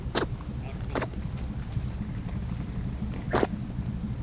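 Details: Rabbit on Okunoshima, Rabbit Island in the Seto Inland Sea, Takehara City, Hiroshima Prefecture, Japan, home to over 900 rabbits; three short, sharp, breathy sneeze bursts, two close together then one later, over a steady low rumble.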